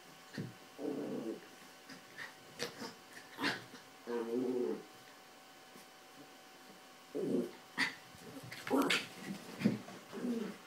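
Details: Two Yorkshire Terriers, Carla and Paco, playing and fighting over toys on a bed. Short, harsh growling bursts rise and fall at intervals, separated by quiet stretches, with sharp knocks and brief bumping sounds.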